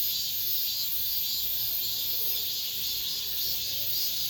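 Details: Late-summer cicada chorus in an apartment complex, the last of the season: an unbroken high, hissing drone that swells and eases in gentle waves, with nothing else standing out.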